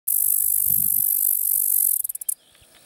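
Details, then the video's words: Bradyporus dasypus, the biggest cricket, at Negotino, Macedonia: a steady, very high shrill buzz for about two seconds breaks into a few separate rasping pulses before stopping, with low rustling beneath at the start. "Bradyporus dasypus"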